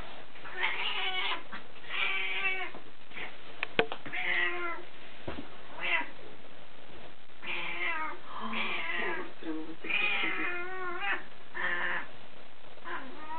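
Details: Cattery Burmese cats Bonita, Moonlight and Missie give a run of about a dozen short, rising-and-falling meows in quick bursts, broken by a few sharp clicks and taps.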